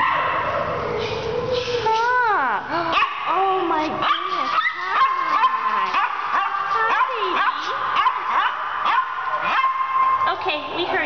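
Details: Several dogs at North Central Animal Care Center shelter, indoor kennel area, 2011: rapid bursts of yips and barks with descending whine-like slides, repeated roughly every second, mixed with a person speaking.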